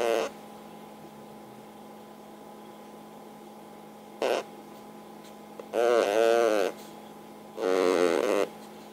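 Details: Sleeping pug under a hanger rack with big snores sped up threefold, turning them into fart-like buzzy blasts; one short burst, then two longer ones near the end, with a quiet room hum between.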